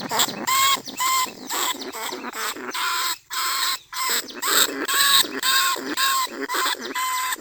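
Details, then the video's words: A lesser bandicoot rat, a rice pest that burrows into paddy dikes, calls from a cage trap at Nong Khu Phai, Thailand: loud tonal squeaks with clear harmonics, repeated about twice a second, with brief pauses. "หนูอีตั้นชุดที่2 ร้องเรียกหนูในกรงเพล็กดักหนู"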